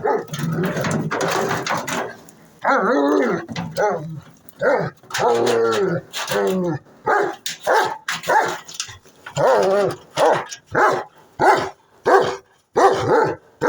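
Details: Odin, a German Shepherd, barks repeatedly, some barks drawn out with a tonal, whining edge early on, then a steady run of short, sharp barks spaced under a second apart toward the end.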